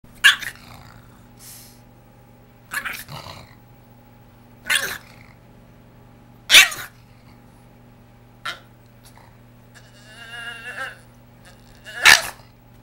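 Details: A Boston Terrier throwing a fit over his new bed gives sharp, harsh yelps and grumbles in short bursts every couple of seconds.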